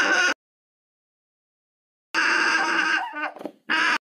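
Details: Alpaca voice in harsh, strained bursts with dense harmonics: a brief cry, a long pause, then a drawn-out wavering call that breaks up and falters before a short final burst.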